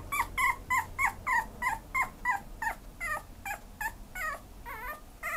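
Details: Pomeranian dog giving a quick run of short, high, whimpering yips, about three per second, each with a bent, wavering pitch, steady in loudness over five seconds with a faint background hum.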